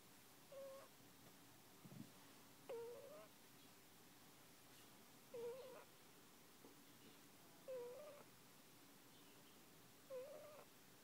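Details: Snoring of a one-month-old puppy during sleep, heard as five brief, thin squeaky whistles recurring about every two and a half seconds, with a soft low thump near two seconds and steady background hiss.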